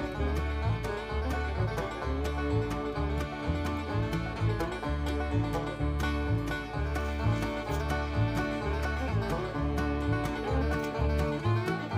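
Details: Lively banjo-led bluegrass music with plucked strings and a bouncing rhythm runs the whole time, without any animal voice.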